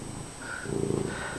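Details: Domestic cat Fred, a friendly house cat, gives a low rapid purr that swells to a pulsing rumble midway, with faint room hum behind it.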